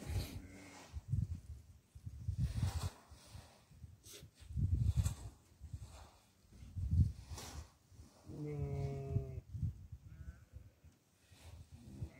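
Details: Goat being fed barley: rustling and low thumps of feeding fill most of the recording, then one drawn-out, harmonic, slightly wavering bleat rises clearly near the end.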